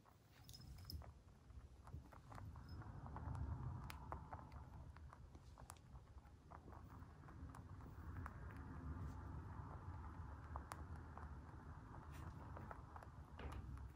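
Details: Pet white mini lop rabbits chewing their food: irregular crunchy clicks and cracks, sometimes in quick bursts, against a constant low rumble indoors.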